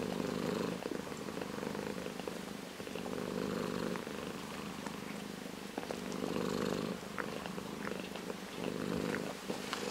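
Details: Orange tabby house cat purring, a rough low vibrating drone with a rhythmic inhale-exhale pulse, louder and softer phases alternating every few seconds, faint clicks over the top.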